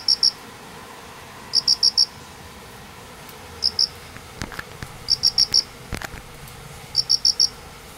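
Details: Unseen pair of crickets under painted spurge following heavy rain at Manganji, Minamioguni, Japan, 29 September 2016, calling even in the morning; bright trills of three to four pulses recur every second or two, with faint clicks.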